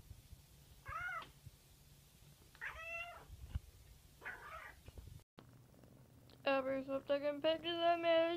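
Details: Cat meowing indoors: a few short harmonic meows in the first half, each rising then falling, then a run of longer, louder, strained meows packed closely together near the end, over a low steady hum.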